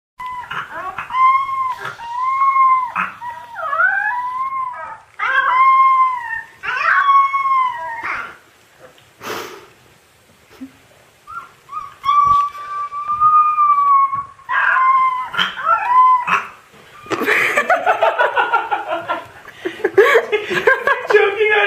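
A Siberian Husky puppy howls in wavering, yodel-like bursts that rise and fall.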